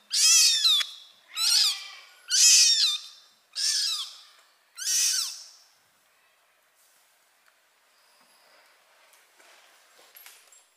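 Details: Kitten mewing loudly before its mother cat carries it away by the mouth; five shrill, high-pitched mews about one second apart, then near silence with faint rustling.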